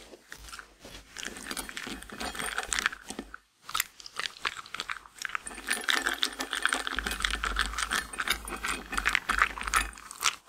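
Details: A female Shetland Sheepdog eats her daily grain-free lamb and kangaroo kibble, each bite a dry crackling crunch in an uneven, rapid rhythm, pieces clinking and rattling against the bowl in a quiet indoor space.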